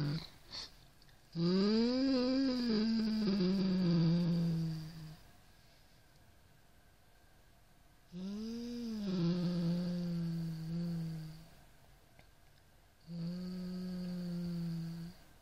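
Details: Indoor Siamese cat growling at a rat toy in three drawn-out, low howling growls, each rising then falling and trailing off, separated by several seconds of quiet.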